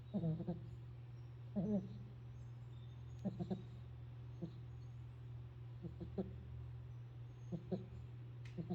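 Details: A pit bull snoring indoors: soft low rasping snorts with a buzzy tone, arriving in uneven bursts of one to three every second or two, over a steady low electrical hum.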